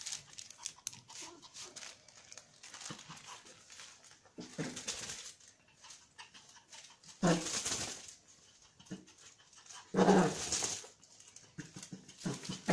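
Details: Pomeranian spitz huffing and growling as it tries to take something: irregular snuffling breaths broken by two louder, harsh rasping growl bursts, in a small indoor room.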